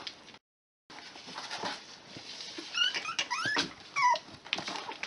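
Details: Six-week-old Miniature Pinscher puppies from one litter, whimpering and yipping indoors: a few short high squeaky whines with rising and falling bends packed into the middle seconds, over a busy background of rustling and shuffling.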